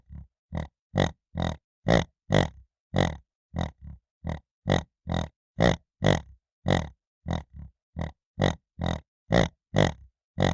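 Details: Piglet grunting in a steady run of about twenty short, deep, rough grunts, roughly two per second, some softer and lower between louder ones, with silent gaps and no other sounds.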